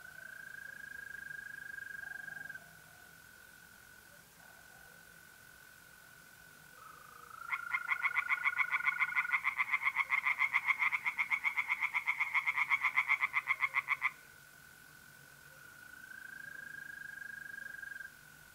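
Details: Night in mid-April, north-east Italy: mole crickets trill steadily, then tree frogs in the pond break in with a long, loud series of quick regular croaks for about six seconds before falling silent again.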